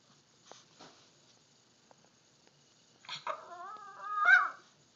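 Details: A Miniature Pinscher gives a drawn-out, whining bark that rises and falls, sounding frightened, barking at a Halloween pumpkin it is scared of.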